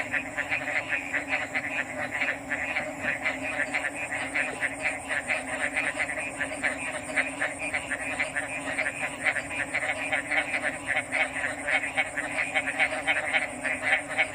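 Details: A continuous chorus of frogs makes quick, irregular pulsed croaks, roughly four per second, tightly overlapping. Steady high-pitched buzzing and a low background hum persist throughout.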